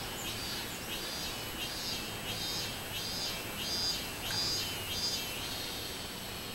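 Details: Minmin cicada on 24 July 2016, summer: a high shrill note pulsed in a regular rhythm of about one and a half beats per second, each beat a short buzzy burst, over faint background hiss.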